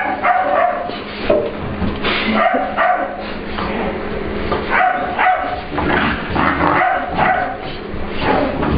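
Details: English Bulldog/Pit Bull puppy playing with another dog in a grooming room at work, asserting the room is hers; short high yips and whiny barks come in irregular bursts over scuffling and low human voices.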